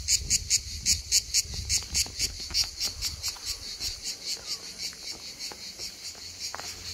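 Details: Hellenic cicada singing on Skiathos, Greece, in summer, an insect that sings almost all day long: a high, shrill buzzing broken into rapid pulses, about three per second and slowing, over soft low rumble.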